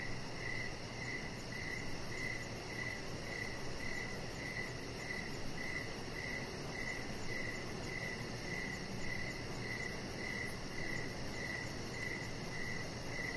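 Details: Crickets outdoors in the evening beside a deck lit with decoration lights: steady chirps repeating about twice a second, with a faint fast ticking trill high above and a constant broad hiss of background noise.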